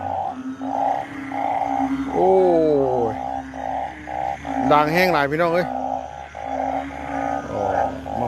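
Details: Banded bullfrogs call after rain near 10 pm in front of a bypass market, giving steady, repeated low bleating notes, about two or three each second, with voices over them.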